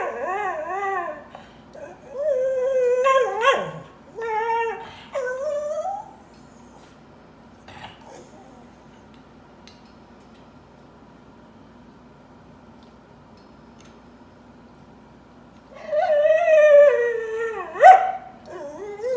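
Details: A dog crying in bursts: wavering, howl-like whines and whimpers rising and falling, several in the first six seconds, then a quiet stretch of low hum before another loud, climbing wail near the end.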